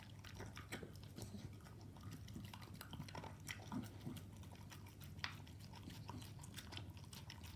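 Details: Staffordshire Bull Terrier chewing raw meat with dog food in a room, steady smacking and crunching bites repeated several times a second, one sharp click past five seconds, faint low hum behind.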